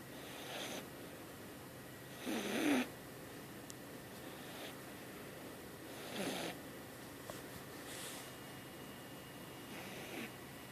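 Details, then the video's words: Domestic cat named Jasmine, a kitten, snoring while asleep in the middle of the night, indoors; soft breathy snores recur about every two to four seconds, each a short noisy burst, over a quiet steady background hum. "Snoring cat"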